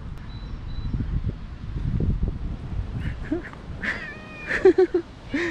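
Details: Stray cat living in a park where several cats gathered as another was petted; after low rumbling noise, a few short harmonic meows arrive in quick succession near the end, including a rising-falling mew.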